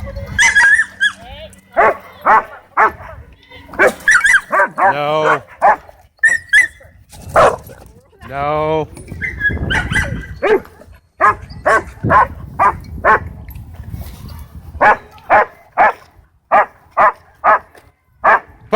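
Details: Dogs at a dog park, one scared dog drawing unwanted attention while others race and play; many short sharp barks in irregular bursts, some whining, yelping sounds mid-clip, with human voices mixed in.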